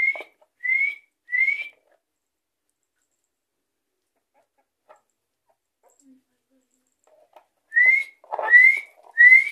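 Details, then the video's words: Guinea pigs whistling while begging for food indoors: short rising whistles in a quick series of three, a pause of about five seconds, then three more, with a person's voice calling softly between them. "Cobayas Silbando por su comida"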